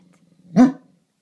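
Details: A Great Dane watching over the house gives a single deep, booming bark at a garbage can outside, a short loud burst rising out of near silence.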